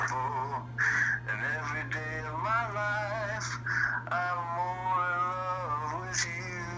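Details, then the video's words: A male dachshund, missing his owner, howls along over the phone to his favourite song, in long, wavering, mournful tones, the pitch sliding up and down between breaths. "Dachshund Sings the Blues on Phone (Duet with Dad)"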